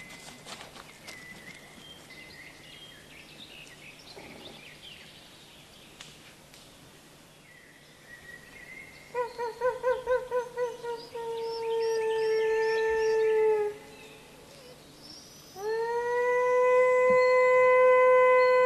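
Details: Wolves in the wilderness: after a stretch of quiet background with faint bird chirps, a quick run of short yelping pulses leads into a long smooth howl that sags in pitch, a pause, then another loud sustained howl.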